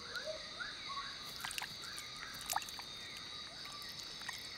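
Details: A tiny frog at nightfall in the Borneo jungle calls from a tree hole where a pair meets, hidden from predators. A run of quick upward-sliding notes repeats over a dense, continuous insect chorus, with scattered clicks.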